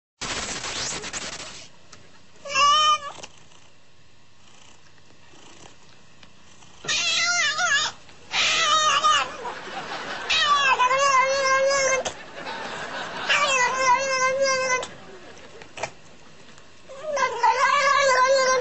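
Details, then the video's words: {'caption': 'Cat making a strange noise: drawn-out, wavering, throaty yowls in several bursts of one to two seconds, separated by quiet gaps, rising and falling in pitch with a rough, warbling quality.'} "Cat making a strange noise"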